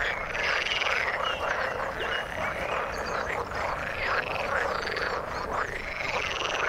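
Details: Frogs calling in the water: a dense, continuous chorus of overlapping croaks, with rapid pulsed rattles and arching, whistle-like notes rising and falling in quick waves throughout.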